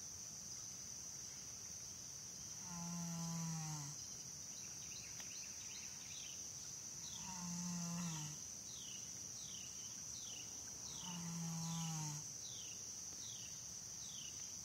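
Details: Janie the American Saddlebred snoring while asleep. Three deep, buzzing snores, each roughly a second long, arrive regularly about every four seconds. Between them, short descending high chirps sound over a continuous high-pitched hiss.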